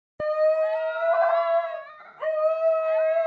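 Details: A 1-year-old brindle Basenji gives a long, steady, level howl, breaks briefly, then resumes it. His 4-year-old tri-colour Basenji half-sister joins in the background.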